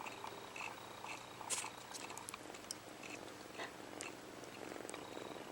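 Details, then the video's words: Kitten named HAL, separated early from his mother, purring while sucking his paw indoors; steady low rumbling pulses mixed with wet sucking and clicking noises, brief sharp transients throughout. "Kitten sucking his paw purring...and sneezing"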